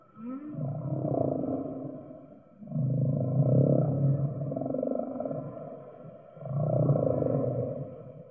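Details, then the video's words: Singing whale giving long, deep, rumbling moans, three broad swells separated by short dips, opening with a quick rising whoop. "Whale Singing"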